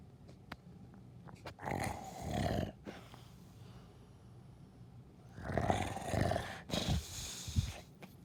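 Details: Cute dog snoring; two slow, breathy rasping snores, each lasting about a second or two, separated by quiet pauses, with a faint low hum underneath.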